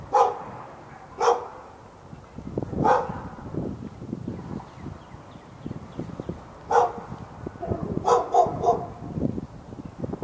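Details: Dog behind a fence in Raleigh, North Carolina, on February 15, 2012, barking for hours at a neighbouring dog: scattered single barks, then a quick run of three, with low rustling noise between them.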